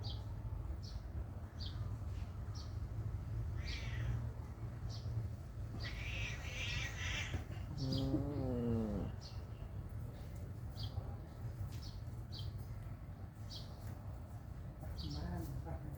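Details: Mother cat keeping close to her newborn kittens; a single drawn-out, wavering meow sounds midway, amid faint repeated high chirps and a steady low background hum.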